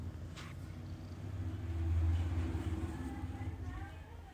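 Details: A sleeping Persian cat snores in a deep, low rumble that swells louder toward the middle, then fades, in a fast, even flutter.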